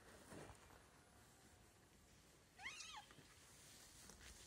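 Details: A white stray cat gives one short, arched meow that rises and then falls, midway through an otherwise quiet, faintly hissing background.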